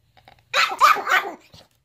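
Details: Single dog facing a mirror lets out one loud, harsh, slightly drawn-out bark, preceded by faint clicks and followed by a soft thud.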